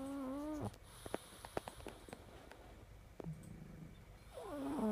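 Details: Snoring pug: a tonal, humming snore breath fades out at the start, followed by faint clicks and snuffles in near-silence, then a wobbly, rising nasal snore returns at the end.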